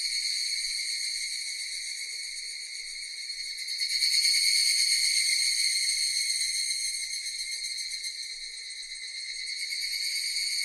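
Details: Buzzing cicada chorus, high-pitched and finely pulsed, grows louder around four seconds, then eases and rises again toward the close, without pause or other sounds.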